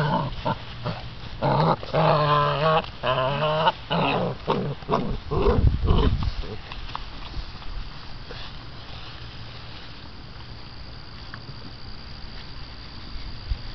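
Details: American Bandog Mastiff puppies, six weeks old, chasing and gripping a chicken on a string during a temperament test of prey drive and holding power: a burst of harsh, pulsing growls and yelps, then fading to scuffling noise.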